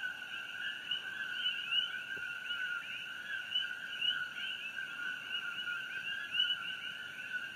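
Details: Chorus of many coqui frogs at night on Hawaii Island beside the Fissure 8 eruption glow, June 27, 2018; unbroken overlapping calls hold two bright pitch bands, with occasional louder individual notes rising above the mass.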